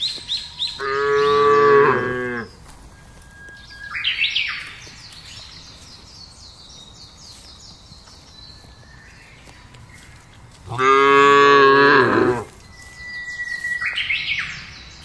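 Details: Tame cattle from a fattening herd set loose to graze on a broad pasture in a village area: two loud, drawn-out moos about nine seconds apart, with chirping birds between them.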